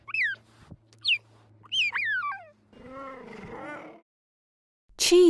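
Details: A zoo cheetah gives three high, bird-like chirps, each sliding sharply downward. A lower, wavering, harmonic whine follows, then a brief loud burst at the end.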